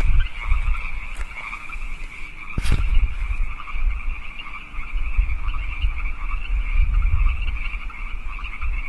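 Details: Wild frogs calling at night in California Park, 8 PM on March 15, 2014: a dense chorus of overlapping croaking trills, steady throughout, with low rumbling traffic or wind noise underneath and a brief loud thump near the third second.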